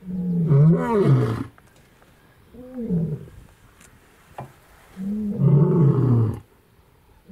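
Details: Lion roaring in the Masai Mara, Kenya, at Olare Motorogi Conservancy in February 2019: three deep, throaty roars, long, short, then long again, each gliding downward, separated by brief silences.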